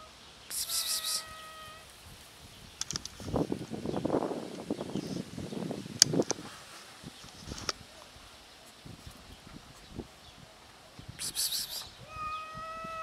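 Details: Hungry cats often met outdoors, meowing from hunger: two short, steady, harmonic meows, one near the start and one at the end, with rustling and handling noise between and loud bursts of high hissing or buzzing.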